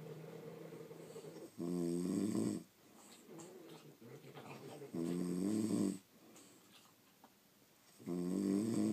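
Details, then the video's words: Pet French Bulldogs asleep indoors, snoring loudly in rhythmic bursts about every three seconds, each a harsh, rattling low-pitched inhale followed by quieter, softer breathing between snores. "Snoring French Bulldogs"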